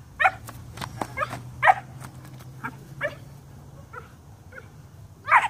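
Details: A 12-week-old German Shepherd puppy doing rag bite work, giving short yappy barks at uneven intervals with quieter gaps between, over a low steady hum.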